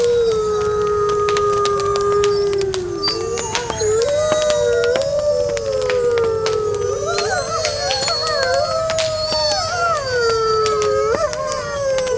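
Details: Several wolves howling on a cold winter night beside a crackling bonfire: long, smooth, overlapping wavering tones that slide up and down, with frequent sharp pops and snaps of burning wood throughout.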